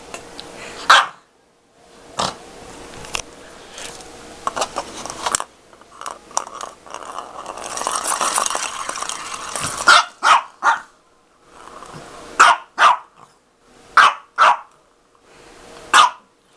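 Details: Dog playing with a cat toy, giving sharp single barks spaced one to two seconds apart, with a rougher stretch of growly, scuffling noise around the middle and toy rattling between barks.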